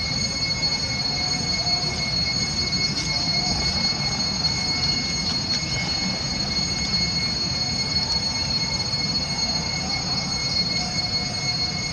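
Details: Steady mechanical roar with squealing, train-like rumble and constant high whining tones throughout; no animal voice stands out.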